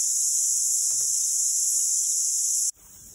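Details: A dense chorus of many cicadas in forest along the Abel Tasman Coast Track, New Zealand, in January–February 2020, makes a continuous, high, hissing drone.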